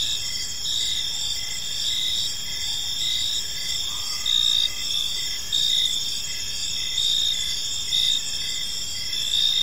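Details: Evening park chorus of crickets, several high ringing trills running together without pause, short chirps repeating irregularly beneath, a faint lower murmur in the background.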